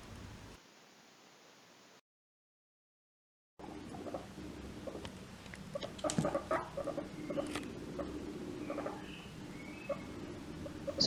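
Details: A guinea pig gives soft, low, hesitant squeaks. It is intrigued and slightly uneasy, and may make this sound while walking slowly or while stopped to watch something that bothers it.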